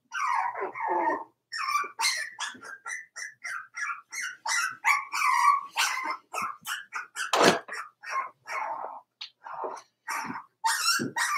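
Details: A litter of four-week-old Cavalier King Charles Spaniel puppies in an indoor pen keeps up a busy stream of overlapping whimpers, squeaks and little yaps, with hardly a pause between the calls.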